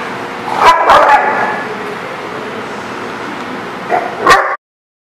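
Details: Dogs barking outdoors at a lot: a loud pair of harmonic barks early on, a steady hum between, and another sharp bark before the sound cuts off.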